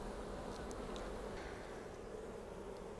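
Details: Western honey bee workers on the brood frame of an opened hive, one returning with pollen sacs on its legs, a continuous low even hum with a few faint clicks.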